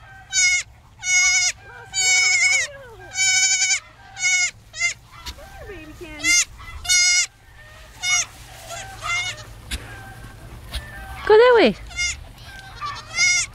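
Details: A lost baby goat (male) bleats repeatedly, its high, wavering cries calling for his mother while he searches for her.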